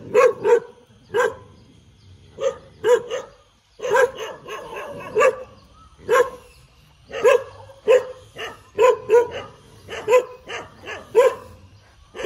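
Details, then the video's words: A dog wagging its tail barks in bursts of two to four quick woofs, pausing between groups, the barks clear and fairly bright over a quiet background. "เสียงหมาเห่า หมาเห่ากระดิกหาง"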